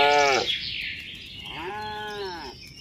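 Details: Tame cattle on a mining road heading to a village: a clipped call cut off at the start, then one full, rounded moo lasting about a second. Birds chirp softly in the background.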